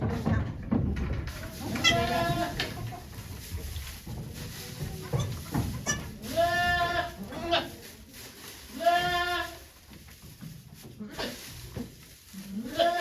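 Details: Okayu the goat calling during her delivery of two kids at Yoshigake farm, 3 May 2023, with volunteers gathered around: two low, drawn-out, quavering bleats about two seconds apart, with soft human voices and rustling between them.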